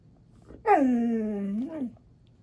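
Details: Maya the Husky 'talking' indoors in banter with Alexa, a talking dog: one smooth howl-like tone, dropping then holding steady and briefly lifting at the end, lasting about a second, in a quiet room.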